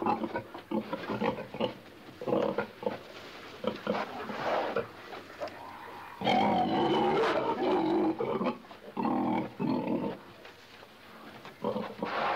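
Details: A pig in a pen grunts and snorts in rapid, uneven bursts, with a few louder squealing grunts.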